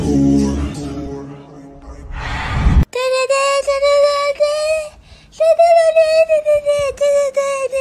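A Siberian Husky gives long, wavering, yodel-like howls after a person speaks to it.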